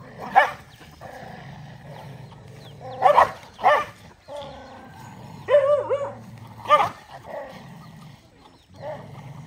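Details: Dogs gathered over a meal of rice give scattered barks, then a rising and falling whine midway, followed by another bark; low murmuring background throughout.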